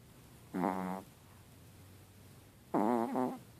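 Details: Henry the Chihuahua snores twice: a short steady buzzing snore, then after a pause a louder snore whose pitch wavers and dips before breaking into a brief second puff.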